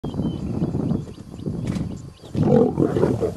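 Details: Two lions fighting as hyenas back off: dense, rasping growls and snarls that rumble on without a break, swelling louder and harsher in the last second, with faint thin whistles high above.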